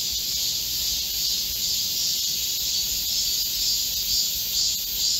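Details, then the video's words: Many cicadas droning together in a Korean midsummer forest during a July 2024 heatwave, a shrill, unbroken hiss-like buzz with slight pulsing swells in loudness. "Korean cicadas, a chorus in a midsummer green forest | 한국 매미들의 한여름 초록 숲속의 합창"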